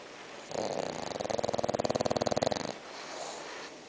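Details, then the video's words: Six-month-old bulldog snoring while asleep: a rough, rapidly pulsed rasp that swells for about two seconds, with fast regular vibrations, then stops, leaving faint room hiss. "Bulldog Roncando"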